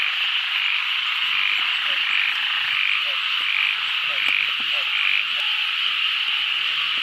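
Banded bullfrogs give low, short croaks over a dense, steady high-pitched frog and insect chorus.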